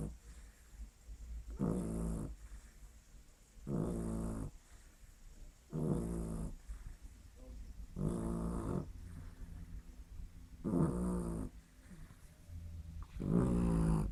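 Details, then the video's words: Sleeping dog named Lily snores in a steady rhythm, six throaty, grating breaths spaced about two seconds apart, each a short buzzy rasp over a low rumble, in a quiet small room. "Lily roncando"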